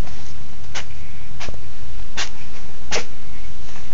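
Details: Maine Coon cat sneezing, four short, sharp, hissing bursts in quick succession, about three-quarters of a second apart, over a steady low background hum.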